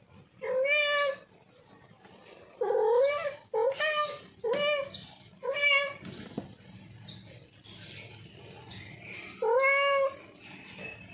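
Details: Male domestic cat in heat calling for a female, giving five loud drawn-out meows with rising then falling harmonic tones, each about half a second to a second long, separated by quiet gaps, with faint background noise.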